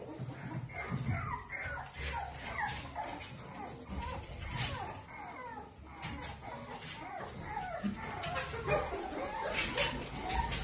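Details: Two 8-week-old Toy Poodle puppies making short, high whining yelps that rise and fall, repeated about once a second, with voices and faint background sounds underneath.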